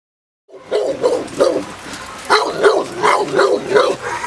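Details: J7's Kelly, a female Presa Canario of the Irema Curto line, in protection training at De la Arena field, Germany: a rapid run of deep, rough barks, about three per second, loud and steady throughout.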